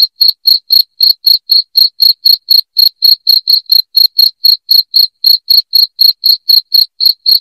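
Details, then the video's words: Shrill cricket chirps meant to scare rats away indoors, an unbroken train of bright, even pulses at roughly four per second across the whole stretch, with clean silence between pulses and nothing else audible. "SUARA JANGKRIK NYARING PENGUSIR TIKUS"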